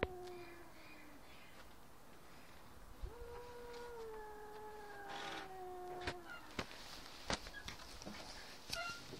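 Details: Cat making strange, weird noises: long, steady, slightly falling moans held for seconds at a time, followed by sharp clicks and knocks toward the end.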